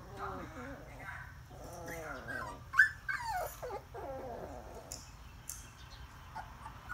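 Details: Puppies whining in short arched squeals that rise and fall, several in quick succession, then sharper yelps near the middle, over a low background hum.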